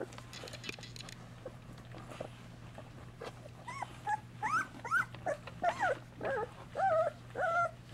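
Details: Golden Retriever puppies, two weeks old, in a whelping box with their mother nursing and cleaning them; soft, wavering whines rise and fall in short bursts in the second half, over a steady low hum.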